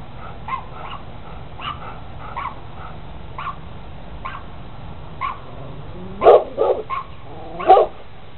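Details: Rottweiler in a red stud collar running back and forth by a fence; faint distant barks at roughly one-second intervals, then a burst of three loud close barks near the end and a final single bark.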